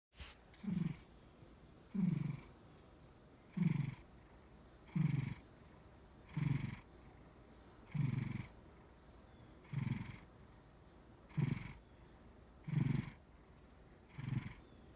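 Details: Maine Coon cat asleep, making soft, low snuffling breaths in a steady rhythm, about one every one and a half seconds, eleven in all, over a quiet background.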